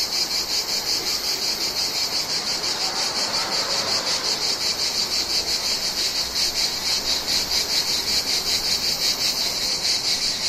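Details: Mediterranean cicadas give a continuous, high, buzzing summer drone that pulses rapidly without pause.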